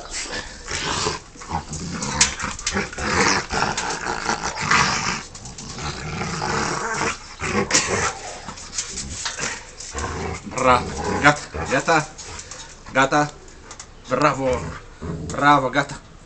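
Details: Rottweiler at play with a human, growling in uneven rough bursts that intensify toward the end, with human voices talking and shouting over the dog.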